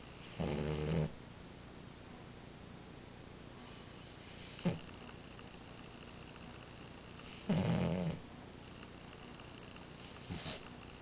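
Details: Amora, a French Bulldog, snoring in her sleep. Four rasping snore bursts come several seconds apart: two long, grating ones and two short snorts, with near silence between breaths.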